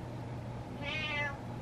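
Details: Meowing for what he wants, Butters, a male pet cat, lets out one clear, mid-length harmonic meow that swells then trails off, with only a low hum behind it.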